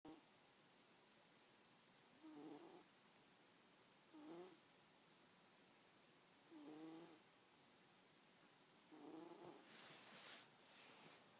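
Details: Abigail, a pet cat, snoring while asleep indoors beside a cat bookmark; soft raspy snores with a faint whistling edge, roughly every two to two and a half seconds, four clear breaths with quiet pauses between.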